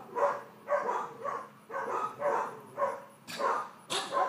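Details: Georgia, a four-month-old female miniature dachshund puppy, excitable during leash and calmness training, gives a run of short, bright yaps about twice a second, each with a rich harmonic ring, ending in sharper, noisier barks.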